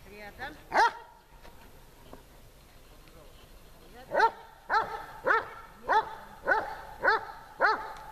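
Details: In Horlivka heat on 26 July 2020, the dog Tashik barks during training: one bark, a quiet pause of about three seconds, then a regular series of sharp barks spaced roughly half a second apart.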